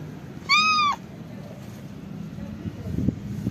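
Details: Calico cat giving a single high, clear meow that arches up and then falls, lasting about half a second, over a low rumble of traffic.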